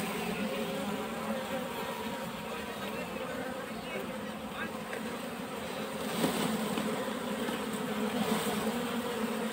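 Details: Wild honey bees in a swarm, scooped by hand into a box, making a thick continuous buzzing drone with small flickers of louder individual wingbeats and a brief rustle partway through.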